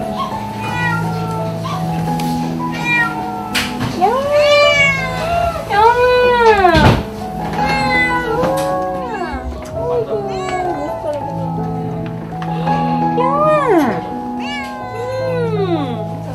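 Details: A gaunt female domestic cat that was lost and later found on an apartment railing meows over and over, as if answering the woman calling her name, with soft music and speech behind.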